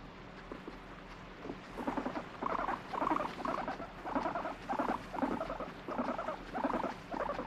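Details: Domestic guinea pig reacting angrily to being stroked: after a quiet start, repeated low buzzy rumbling bursts arrive about twice a second, each a rapid rattle of pulses, with faint handling noise.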